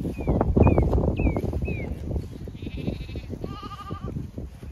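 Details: Zwartbles sheep flock grazing in cool late afternoon at windcharger field, County Kilkenny, Ireland; two quavering bleats close together near the end, preceded by short rising bird chirps over a steady low rumble of grazing and movement.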